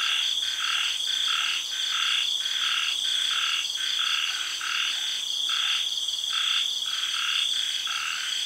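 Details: Frogs calling at night in a tropical garden in Thailand after the early rains: a rhythmic, pulsing croak repeated about twice a second over a steady, high, shrill drone of cicadas and other insects.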